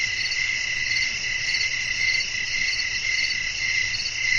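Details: Nighttime crickets chirping as wind blows, a continuous piercing high trill with a less regular, blurred pulsing and a faint low-frequency hum throughout.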